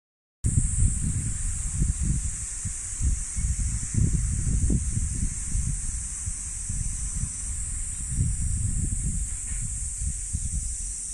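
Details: Cicadas drone in a steady, high, unbroken hiss over gusty wind rumble, with birds, at Jugosha Shrine in Wakamatsu, Kitakyushu, Fukuoka, Japan, in summer, mid-July 2023.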